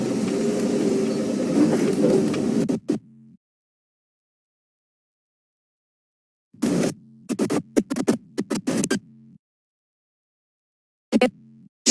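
Vehicle rumble and crackling noise bursts broken by dead silences, with no animal calls.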